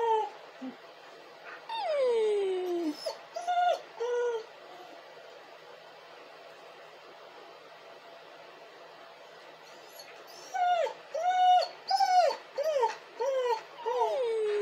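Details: Dog crying and howling: a long tonal whine sliding downward opens, followed by a few short yelps, a quiet middle stretch, then a run of short falling whimpers repeated roughly twice a second near the end.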